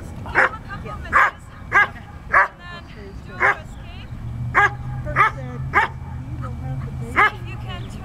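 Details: Slash, a Standard Poodle, doing Schutzhund bite work on a sleeve: nine sharp, loud barks, each with a harmonic ring, come at uneven intervals of about half a second to a second over a steady low rumble.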